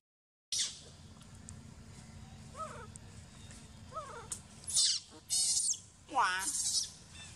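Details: Sovana, an abandoned baby monkey, crying angrily: after a quiet start with a few soft wavering notes, loud shrill screeches burst out near the end, some with falling, quavering pitch.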